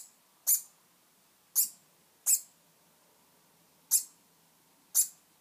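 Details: Degu named Cat barking in a dominance display just after first successfully mounting his brother, Sunday morning; six sharp, bright, high-pitched barks at irregular gaps of about one to one and a half seconds, quiet room otherwise.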